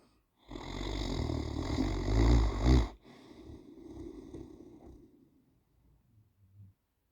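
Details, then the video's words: A male Great Dane snores with a deep, rumbling, rattling breath that fades into softer wheezes. "Great Dane Mr Bjorn snoring 😴"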